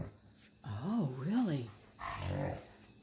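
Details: Alaskan Malamute, one of the pet dogs Tonka and Monroe, vocalising indoors around New Year 2020: two smooth rising-and-falling 'woo' howls in quick succession, then a shorter rougher vocal burst, with a person's voice nearby.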